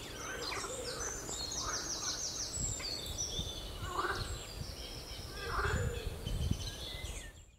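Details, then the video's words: Frogs on the Royal Military Canal near West Hythe croak in loud, rattling, chuckling bursts over a steady low rumble. "Frogs croaking on Royal Military Canal"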